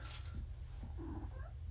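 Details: Drowsy kitten, one of four litter-mates found abandoned by a road, just home from neutering and groggy on pain medication indoors; a faint, short, wavering meow rises near the end over a steady low hum.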